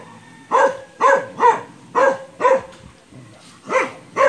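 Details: Belgian Malinois named Brando barking while playing with an aspin, a Philippine native dog. Seven short, sharp barks come in two bursts, roughly every half second, with a pause near the middle. The background is quiet.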